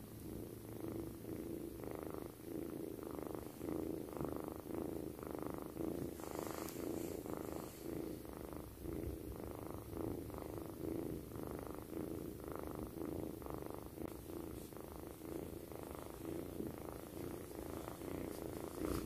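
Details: A kitten purrs loudly and steadily while sleeping beside its owner, a low rumbling pulse repeating about once a second.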